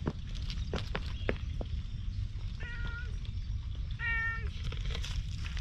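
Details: Stray cat, wary at first and later letting itself be petted on a bench, gives two short, flat, even-pitched meows about a second apart against steady low outdoor rumble and faint clicking sounds.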